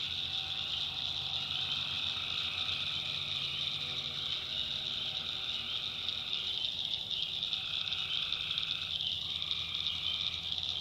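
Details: A night chorus of tree frogs in a North Carolina backwoods swamp: constant shrill trilling fills the air, while a deeper, throbbing group of callers starts and stops in bursts several seconds long.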